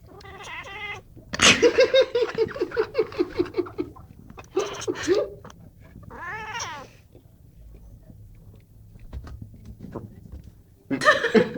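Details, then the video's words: Pet Burmese cat making odd, funny noises: harmonic wavering calls, a long pulsed stuttering run, a wobbling whine, and a final loud yowl, with quiet speech and laughter between. "Cat named buddy making funny noises"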